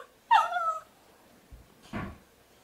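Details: Miniature poodle household with new black puppy Hugo and apricot Sydney, June 2013: one short, tonal whine with a falling pitch, then a soft, breathy huff about a second later, indoors.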